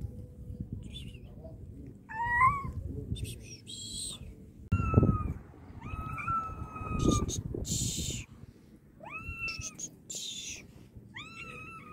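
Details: Meows from a wounded cat: several short, bright calls, some rising at the start and then held level, spaced a second or two apart over low rumbling handling noise and faint clicks.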